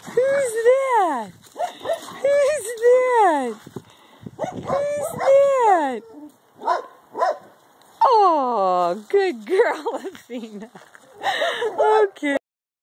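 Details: Great Danes Athena, three years old, and eight-week-old Gracie playing together for the first time; a run of high, arching whines and yelps in quick uneven bursts, rising then falling, with a woman's voice talking to them.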